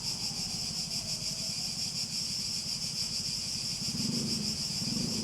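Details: Cicada chorus from a nature soundscape: a continuous piercing high whine with fast regular pulsing, over a low pulsed buzz that swells with a rougher rasping tone near the end.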